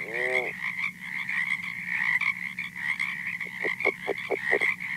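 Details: California red-legged frog, a quiet species audible only close up, calling on a recording. A short harmonic sweep opens, then a rapid train of soft low pulses follows near the end, with a constant high drone behind.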